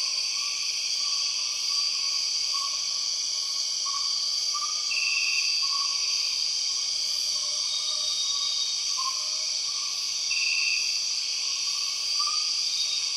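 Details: Empress cicada calling in the Borneo rainforest: a dense, unbroken wall of shrill buzzing tones stacked high in pitch, with short lower wavering notes repeating about every second beneath it and a few brief brighter trills.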